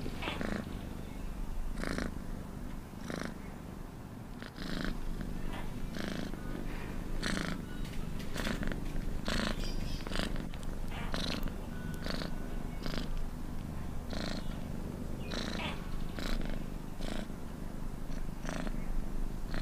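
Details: Domestic cat purring steadily, its low drone punctuated by repeated breathy bursts; the purr briefly softens near five seconds before resuming more strongly.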